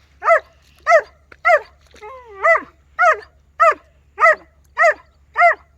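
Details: German Shepherd named Rocky in a village, barking steadily about once every 0.6 seconds, ten sharp harmonic barks, one drawn-out whining bark in the middle, quiet background.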